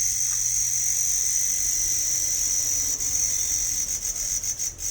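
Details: A cricket at Doom Dooma, Tinsukia district, Assam, keeps up a piercing, high-pitched trill without a break, steady in pitch and loudness, with a few soft clicks and rustles near the end.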